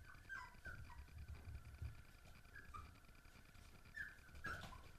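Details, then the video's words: Basenji puppies on an ordinary morning give several short, high whimpering yelps, some sliding downward, scattered across the stretch over a steady low hum and rumbling background. "Basenji Welpen, ein ganz normaler Vormittag"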